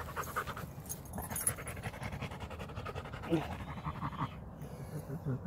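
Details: Rottweiler resting during a walk, breathing in fast rhythmic pants, each a soft breathy burst repeating through the clip, with low outdoor rumble underneath.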